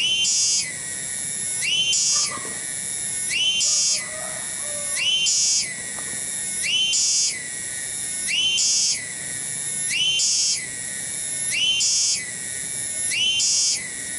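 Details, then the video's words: Loud cicada in a kampung garden at Cibening village, Bungursari: a high, shrill, unbroken buzz rising into intense grating pulses about every 1.6 seconds, very regular, with faint low background noise beneath. "SORA TONGGERET DI KEBON"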